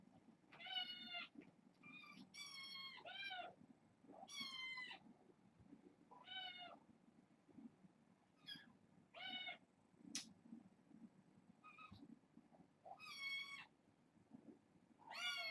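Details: Bedtime kittens from a litter of four girls and two boys, born August 29th, crying in rapid overlapping high meows, about ten mews over fifteen seconds, some rising and falling, with a sharp click midway.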